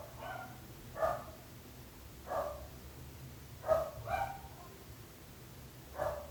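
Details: Barking dogs disturbing neighbours: single and paired barks about every one to two seconds, fairly distant and irregular, over a constant low background hum.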